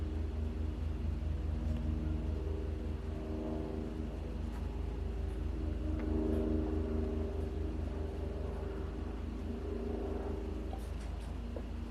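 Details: A steady low vehicle engine rumbles throughout, with droning tonal bands and occasional faint clicks, and no animal voice stands out.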